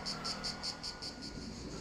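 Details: Cicadas everywhere in scrubby countryside near Perades village, northern Corfu, Greece, among ruins, palms and houses, buzz in loud, pulsing bursts about five times a second. Finding: Cicada.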